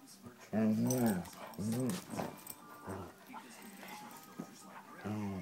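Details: A 'talking' Doberman indoors makes rising-then-falling grumbling moans, two close together, then quieter muffled sounds, ending with another arched groan.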